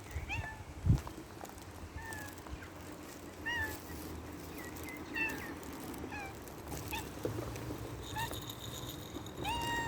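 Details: Cats living outdoors in nature, giving a string of short, rising-then-falling harmonic meows spread across the whole stretch, some overlapping, with outdoor background noise and a brief thump near the start.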